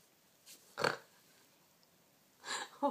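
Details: A pet cat sneezes: two short, breathy, noisy bursts about 1.7 seconds apart, the first sharp and explosive, the second longer and hissier, with a soft puff of breath just before the first and a quiet room around them.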